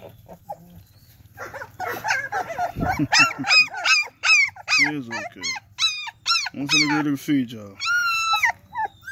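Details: German Shepherd puppies, a litter of nine, giving rising and falling whines and yelps in quick succession, with laughter and people talking nearby.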